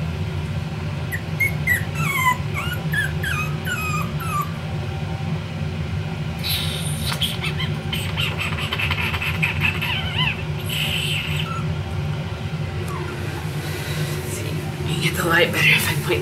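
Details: Four-week-old Pomsky puppies, F1b crosses of 75% Pomeranian and 25% Siberian Husky, giving a run of thin, high whimpers and yips that slide downward, closely spaced over the first seconds, then scattered, over a steady low hum with handling noises.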